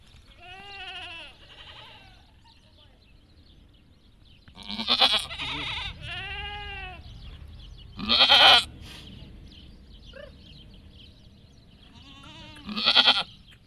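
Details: Goat giving birth while others come close; loud, wavering, nasal bleats from more than one goat, some long and quavering, some short and harsh, with a few seconds of quiet between calls.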